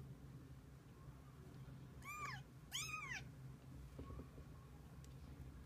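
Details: Kittens with their mother cat; two clear arching meows, each rising then falling, close together, over a constant low hum with faint rustling afterward.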